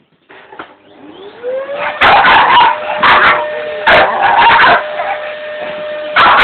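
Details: A Staffordshire Bull Terrier that dislikes vacuum cleaners barks loudly in sharp, short bursts over the steady drone of a running vacuum.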